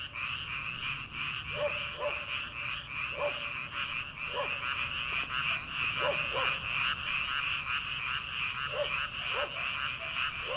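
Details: In early summer before rice transplanting, a paddy full of frogs produces a constant, shimmering pulsed chorus, overlaid with short lower croaks repeated irregularly, often in quick pairs.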